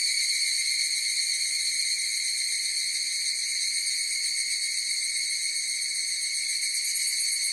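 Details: Higurashi cicadas in chorus: a steady, shimmering metallic drone of overlapping high ringing tones with a fast pulsing texture, held at an even loudness throughout, with no other sounds.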